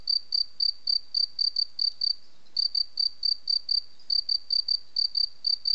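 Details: Cricket song of rapid, shrill chirps in an even train, each pulse sharp and high-pitched, broken by a short gap halfway through; background otherwise quiet.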